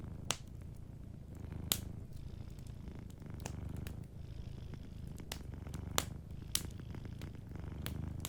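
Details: Gentle purring from a sleeping cat by a crackling hearth, as a low vibrating drone pulses roughly every couple of seconds with each breath. Frequent bright pops of firewood are layered over it.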